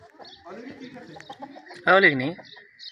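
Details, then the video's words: Beetal goat with a newborn kid, in a village setting; one short wavering bleat with stacked harmonics stands out against quieter background chatter and faint bird-like calls. "بیتل بکری نے دیا ہے خوبصورت بچہ|BABY GOATS Are Born!"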